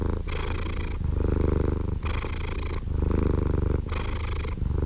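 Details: Purring house cat, a rapid low buzzing rumble that swells and eases with each breath, breathy noisier stretches returning about every second.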